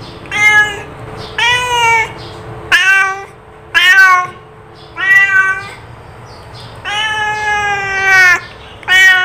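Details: Domestic cat giving repeated meows, rich in harmonics, alternating short downward-sliding calls with longer drawn-out ones, about one every second, faint hum behind.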